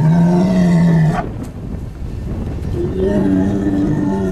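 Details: Ossie, a bull kept on a farm on the Welsh Borders, gives a deep, loud, steady moo lasting about a second, then a second lower drawn-out bellow, with a brief human exclamation between and farmyard background noise.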